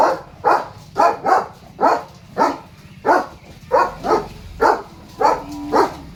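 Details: Leo, a German Shepherd, on his morning duty, barking at a dog and a cow outside the gate: about a dozen loud, rough barks at roughly two per second, slightly uneven in spacing, with a low steady hum beneath.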